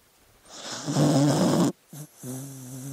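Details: Dog asleep, giving a loud rumbling snore followed by a short grunt and a low droning whine-like breath.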